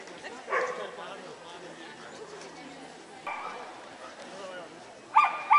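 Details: Barking at a Lithuanian CACIB Samoyed show on 25 October 2009. Three short yelping barks come several seconds apart, and the last is a loud double bark. Indoor crowd talk fills the background.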